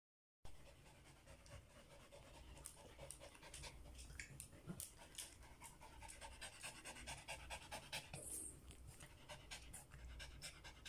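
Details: Samoyed dog tired after a walk, panting hard: fast, breathy hissing puffs follow one another rapidly and unevenly after a brief silent start, with a low background rumble.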